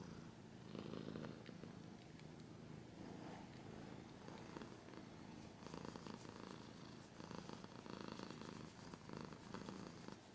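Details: Long stretch of a cat's low, throbbing purr in rhythmic pulses, overlaid with bouts of crackling scratching sounds.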